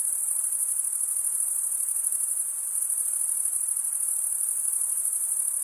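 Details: Constant shimmering cricket chorus, a piercing high trill from many stridulating males that never pauses or changes pitch, with a faint hiss underneath and nothing else.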